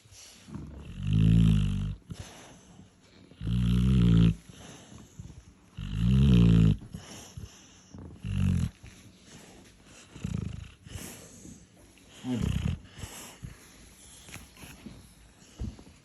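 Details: Labrador Retriever snoring, described as snoring while awake: deep, rumbling low snores with a throaty rattle, in bursts of about a second roughly every two to three seconds, fading to softer snorts later; quiet room otherwise.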